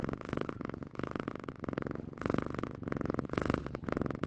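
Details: Purring house cat, close and loud: fast, throbbing rumbles that swell and fade in breath-length cycles roughly every half second to second.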